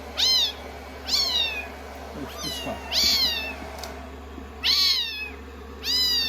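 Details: Rescued kittens, 16 days into their growth record, cuddling on a lap while blow-dried after shampooing; six sharp, rising-then-falling mews about a second apart, against a constant low dryer drone.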